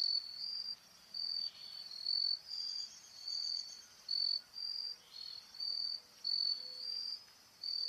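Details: A male and female Carolina grasshopper in courtship display give a high, dry buzzing in short, evenly spaced bursts.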